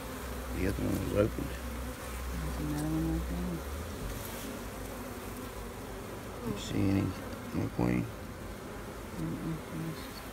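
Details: Bees humming steadily while beekeepers check a new queen and look at cells on the frame bottom. A low, wavering drone continues throughout, with people's voices talking briefly in the middle and near the end.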